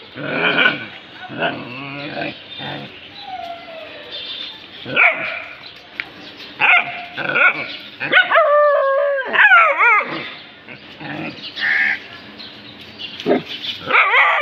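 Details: Pet dogs worked up over something found, mixing rapid yips, short barks and a drawn-out, wavering whine, repeated irregularly across the recording, with some speech in between.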